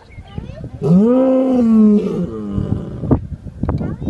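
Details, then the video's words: Lion producing a single sustained moaning roar, rising in pitch and then holding for about a second, followed by quieter rumbling grunts and a few rough bursts. "صوت الأسد _ زئير الاسد"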